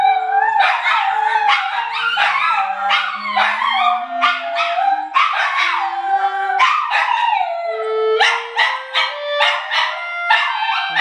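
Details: Dogs howl together in wavering, yodel-like bursts, singing along to a clarinet whose tone slowly rises.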